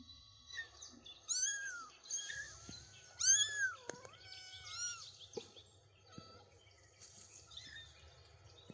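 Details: Three-week-old kittens with their mother on grassy ground with daisies, taking first steps outdoors; several thin, arched meows, rising then falling, come in a cluster around the middle, with faint bird chirps in the background.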